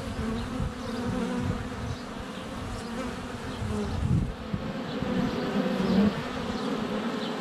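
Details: Swarming honey bees at the hive entrance on a sunny February day, filmed at close range with a GoPro Hero 7 Black; a thick low buzzing hum with individual bees swelling louder as they pass the camera.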